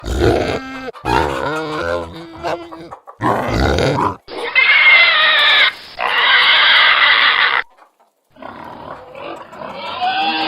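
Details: Pigs in a pigsty squeal and grunt in short, harsh bursts, with one long rasping squeal in the middle.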